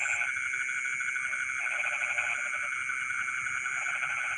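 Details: Frogs calling from rice fields at night, short pulsed croaking phrases overlapping one another, set against a dense, unbroken whine of insects and faint high chirps.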